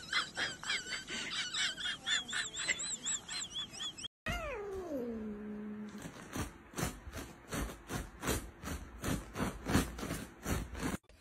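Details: Domestic cat in a funny pet-fails compilation: a run of short, high, arched squeaky calls, then a brief silence and one long meow sliding downward, followed by steady rhythmic thumping beats.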